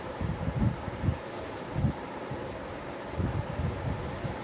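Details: Only low wind rumble and microphone buffeting are heard, with no animal voice.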